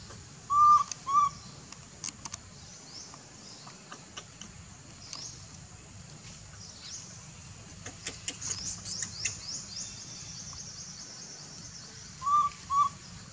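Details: Infant monkey crying to its mother for milk, giving a pair of short arched tonal coos at the start and another pair at the end, with scattered clicks, rustles and faint chirping between.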